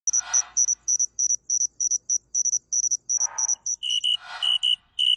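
A Western field cricket gives a rapid string of high, clear pulses in short trills. Partway through, the song is slowed and drops to a lower pitch, with a few soft rushing bursts behind it.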